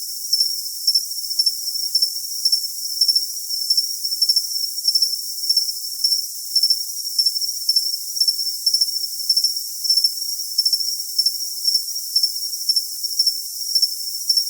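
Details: Continuous cricket chirping meant for tinnitus masking: a long run of bright, pulsed chirps recurring just under twice a second, laid over a flat high hiss with no deep tones.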